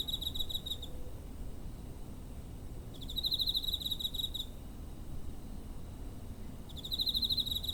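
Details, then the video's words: Cricket recorded near home, 7 September 2023, TASCAM DR-05 recorder; short bursts of rapid pulsed chirping, each lasting about one to one and a half seconds and spaced by pauses of about two seconds, faint low background noise. "Cricket chirping (コオロギの鳴き声"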